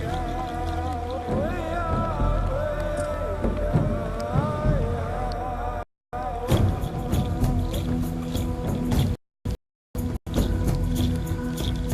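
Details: Music plays over a low engine or boat rumble, with brief silent gaps and no animal sounds.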